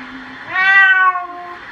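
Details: Domestic cat meowing while being bathed: one drawn-out, loud harmonic meow that rises then falls slightly, lasting about 0.7 seconds, with quieter room noise before and after.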